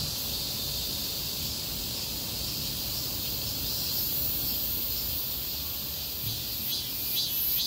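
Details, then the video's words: Cicadas chorusing along a street during a heatwave: a dense, steady high buzzing wash with faint pulsing, broad low traffic rumble underneath. "폭염속 매미들의 거리합창"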